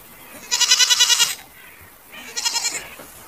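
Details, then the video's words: Goat bleats, one long quavering bleat of almost a second followed by a shorter, slightly softer one, both harsh and tremulous with a fast vibrato over a low background hiss. "Goat Video with Sound"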